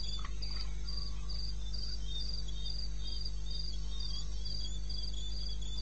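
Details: Night chorus of crickets from the eastern Botswana wilderness, 2:30 am on 21 May. Bright, regular chirps repeat about three times a second beside a softer lower caller; a brief click near the start and a steady low hum.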